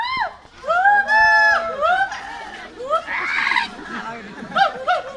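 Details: Hoolock gibbon calling with short upward-sweeping hoots, several in quick succession, followed by a harsher, noisier burst and a few closing rising notes.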